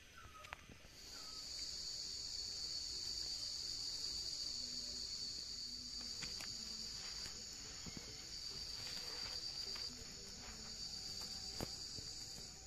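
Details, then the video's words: Cicadas in the Nepali Himalaya, heard while hunting for wild mushrooms: after a brief pause a steady, high, thin shrill whine sets in and holds unbroken, with a few faint clicks and a short bird whistle near the start. "Song of Cicadas"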